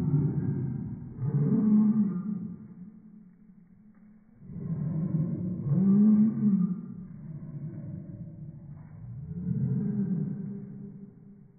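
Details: Slowed-down Chihuahua barks stretched into three long, moaning swells, each rising then falling, separated by quieter low humming gaps.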